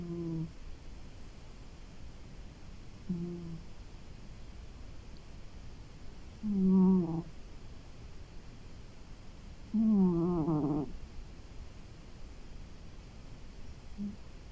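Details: Maki, a pet cat, snores while sleeping after a long day indoors: low, harmonic, droning snores every three to four seconds, a few louder and longer, with quiet breathing between.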